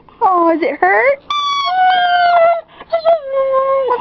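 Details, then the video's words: Siberian Husky reacting to a squeezed squeaky toy with wobbling, moaning whines followed by long steady tonal cries. A person's voice is faintly mixed in, in a small room. "Siberian Husky (Jerry Lee) crys with toy"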